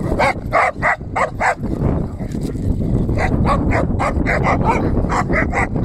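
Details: Schnauzer barking: a fast series of sharp barks, about three per second at first, then a brief pause and further rapid barks over a steady background hiss.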